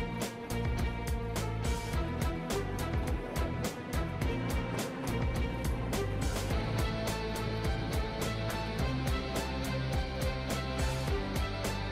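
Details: Loud driving instrumental music with guitar and percussion fills the whole stretch, with no animal sounds.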